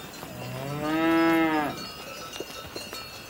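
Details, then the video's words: Close, loud single moo from a cow, swelling up then tapering off over about a second, followed by a few soft clicks in quiet surroundings. "Cow Mooing Sounds"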